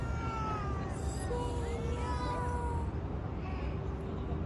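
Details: Stray street cat being petted, giving a drawn-out, tonal meow with stacked harmonics that slides slightly downward, followed by a shorter second meow, over a steady low outdoor rumble.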